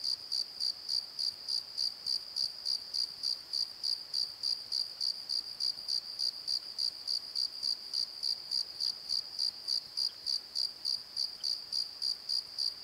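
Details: Nighttime crickets in a valley bottom keep up a long, unbroken series of sharp high chirps, very regular at about three and a half per second, with faint hiss behind.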